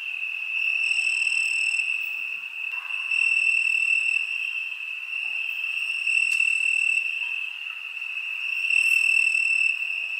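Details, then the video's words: On a summer night, crickets keep up a continuous high-pitched trilling drone, with layered upper voices dropping in and out and a few faint brief ticks near the end. "Crickets Summer Night"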